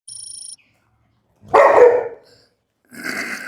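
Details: Pet dog being bathed at home, with Telugu commentary: one loud, rough half-second bark follows a short electronic beeping tone, and a softer noisy burst comes near the end.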